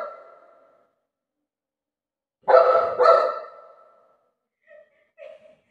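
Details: Golden Retriever named Buzo, a pet dog: a drawn-out tonal whine fades, then two loud, harsh barks come half a second apart, followed by a pair of short, faint yelps in an otherwise quiet room.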